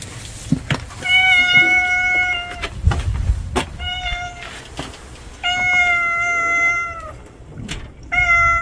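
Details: Street cat meowing three times, each meow long and drawn out, holding a steady pitch and easing slightly downward at the end, with a low rumbling background and a few sharp clicks between calls.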